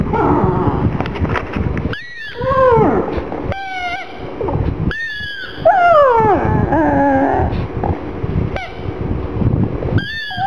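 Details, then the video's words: Whimpering from Gong Fu, a black pug mascot upset over his little ball: several high whines, some falling steeply in pitch and others arched, separated by short pauses over low background noise. "Gong Fu is crying with the ball"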